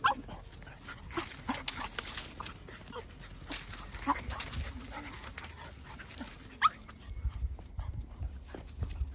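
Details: English Cocker Spaniel puppy named Arta at play, giving soft high whimpers and brief grunts between scattered clicks, thumps and rustling, with a faint steady background hiss throughout.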